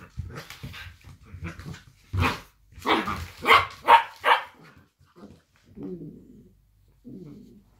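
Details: Minnie and Hugo, blue roan working cocker spaniels, play fighting indoors: a quick run of harsh barks and growls, loudest in the middle, trailing off into softer low grumbles.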